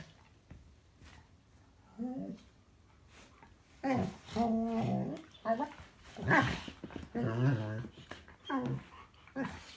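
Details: A dog named Buzz makes noise while playing: bursts of whiny, grumbling, harmonic vocal sounds that rise and fall, several short runs after a quiet start, in a small indoor room.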